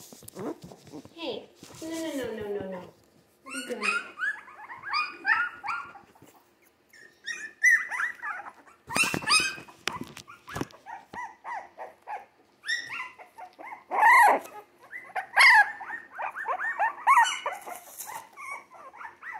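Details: Three-week-old Jack Russell Terrier mix puppies, born 17 December 2020, give short yips and thin whines in bursts broken by pauses, with a person talking and handling noises in a small indoor room.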